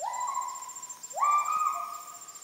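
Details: Müller's gibbon (kelempiau) calling loud in Heart of Borneo rainforest at Sriwangi Village, Kapuas Hulu, recorded while walking after the animals moved off; two clear whistled notes, each swooping sharply up then holding steady, over a constant high insect whine.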